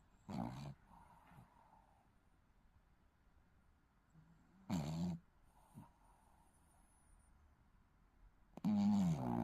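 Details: Shih Tzu puppy snoring in its sleep: three loud, rough, low snorts about four seconds apart, at the start, middle and end, with quiet breathing and faint background hiss between them.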